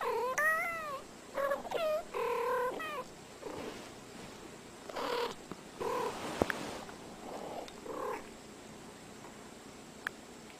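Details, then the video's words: Two cats talking to each other: drawn-out, wavering meows with rich overtones that bend up and down, several crowded into the first three seconds, followed by shorter, lower mews and a few soft thumps. "Funny Talking Two Cats"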